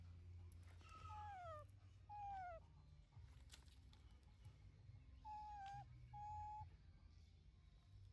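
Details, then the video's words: Tiny pet baby monkey Linda calls out angrily at home, shouting for mom to stop working: thin, piercing squeals that slide downward in pitch, about four in quick succession, against a low indoor rumble. "Tiny Linda Anqry Shout Loud Call Mom To Stop Working Hard"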